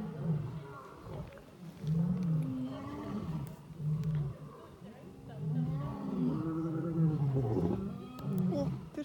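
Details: A lion, Leon, roars in deep, rumbling bursts, each swell rising and fading every couple of seconds, during evening loud roaring ("singing") with another lion, Malysh, at dusk in Taigan safari park savanna enclosure.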